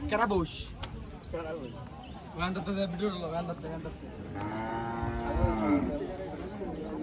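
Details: Cattle at an open-air livestock market for cattle and goats on the Dhanpati Khola Primary School grounds. Around the fourth second a long, low, steady moo with rich harmonics holds for nearly two seconds, preceded by shorter calls and overlapping men's voices and market chatter.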